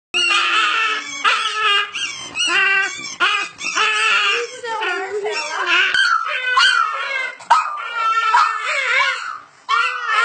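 Two Boston Terriers howl in a loose duet, their voices sliding and wavering up and down with short breaks between phrases. The overlapping howls carry rich harmonics, with a few whimpering notes mixed in.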